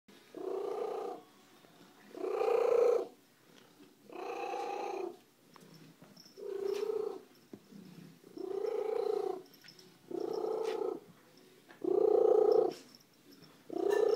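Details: Extremely loud purring from a female pet cat, a stray found at a roadside: rough, throbbing bursts about a second long alternating with short pauses, seven cycles in steady breathing rhythm, room otherwise quiet.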